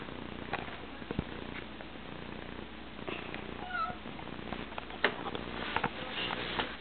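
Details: Snowflake, a female pet cat, makes a soft, low, steady rumble under a noisy background, broken by faint clicks and short rustling bursts.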